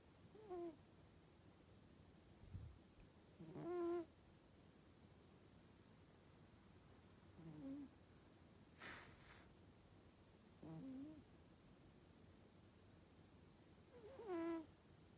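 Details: Norwegian Forest Cat asleep and snoring: short, whistling, nasal wheezes with a clear harmonic tone. They recur about every three to four seconds, five breaths in all, against a quiet indoor background.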